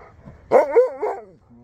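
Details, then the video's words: An old Husky finding his voice again after an unexpected surprise gives a loud, wavering yodel-like howl, its pitch bending up and down in three quick swoops over about a second, while his owner talks before and after. "Old Husky Finds His Voice Again After Unexpected Surprise"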